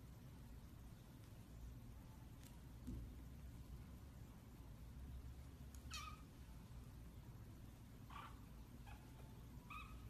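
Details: Domestic cat meowing in short, sharp calls near the six-second mark and again toward the end, some rising then falling, over a steady low rumble and background hum.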